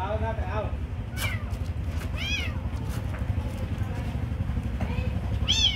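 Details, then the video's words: Kitten receiving food meows repeatedly in short arched cries spaced about a second apart, mixed with human voices and a low engine-like rumble. "Giving food for beautiful kitten"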